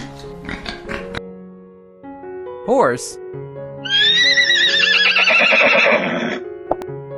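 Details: Horse giving one long whinny of about two and a half seconds, a shrill, trembling neigh that wavers and slowly falls, preceded by short clattering sounds and a quick sliding squeal, with steady background music tones throughout.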